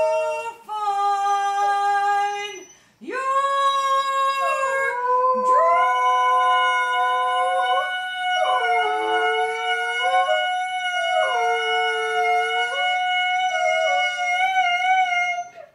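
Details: Golden retriever singing along with its owner to "Climb Every Mountain": a long run of sustained, melodic howled notes that slide and step between pitches, broken by short pauses, with layered voices in the later part.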